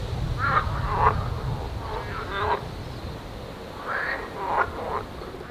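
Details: Marsh frogs and edible frogs croak loudly in bursts from ponds packed with frogs on a Danish Baltic island nature reserve during bird breeding season, over a low wind rumble.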